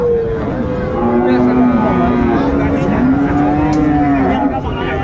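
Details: Friesian and crossbred bull calves at Raniganj cattle market, Dinajpur, Bangladesh, 2 January 2025; a loud, drawn-out, tonal moo lasting several seconds, wavering slightly, over steady crowd chatter and bargaining voices.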